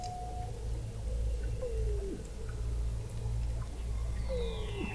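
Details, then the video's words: Weddell seals under thick sea ice in McMurdo Sound, Antarctica, captured in November 2017 by a seafloor observatory: a brief steady tone, then two short downward-bending chirps and a faint high descending sweep over constant low-frequency hum. "Song of the Antarctic Weddell Seal"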